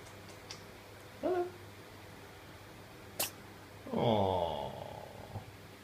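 A Russian Blue kitten gives one sharp, hissing sneeze between a person's soft spoken words.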